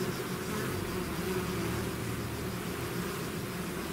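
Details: Bees swarming out of a hive: a thick, low, steady hum with soft tonal bands, constant from start to finish, with no other sounds standing out.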